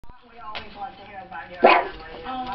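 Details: A pug gives a single sharp, rough bark, one of two pugs reacting to another dog barking on a screen video, amid background voices and the screen barking.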